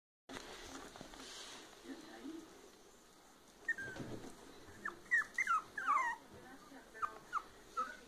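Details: Red Toy Poodle female puppy of Argentine line, indoors, giving a series of short high whimpers and squeaks in the second half, rising and falling, with human speech and room noise beforehand.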